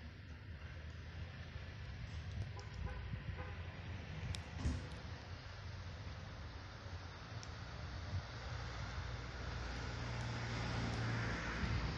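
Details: Street traffic rumbles steadily with passing vehicles and a few faint clicks, and no animal voice is heard.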